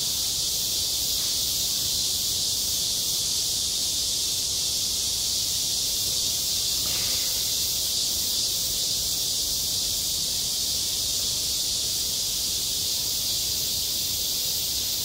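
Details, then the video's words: Unbroken high cicada chorus fills a school playground in midsummer for the whole stretch, steady and hissing, with one dull thump partway through. "한 여름 운동장에서 매미가 울고 있다"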